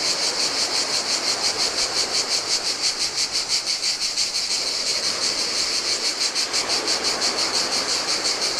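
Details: Cicadas singing in the heat on a desolate Greek island beach by the Adriatic sea: a steady, high, shimmering buzz pulsing about three times a second, over the soft wash of surf on sand.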